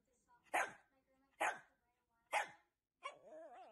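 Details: Shih Tzu dog from a compilation of Shih Tzu puppies gives three sharp barks about a second apart, then a longer wavering, whine-like call whose pitch rises and falls; little else heard.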